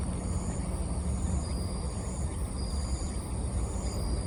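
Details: Bell cricket in autumn, with ambient sound boosted: longer, clear ringing tones held for about half a second and repeated, over a dense low rumble and a faint low hum.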